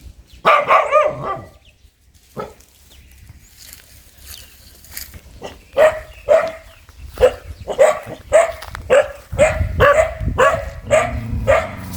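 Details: A fierce dog starts with a burst of barking, falls mostly quiet with faint sounds for a few seconds, then resumes with regular loud barks about twice per second.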